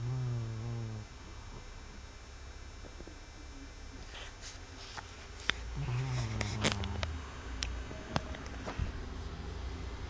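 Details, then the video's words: BB, a pet dog, snores after a long day. Two low, buzzy, throaty snores are heard, one at the start and one midway, with scattered light clicks and taps in an indoor hum. "BB Snoring"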